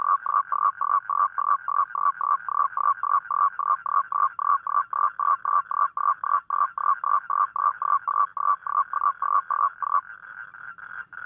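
A toad calls at night with a steady run of short, croaking pulses, about four every second.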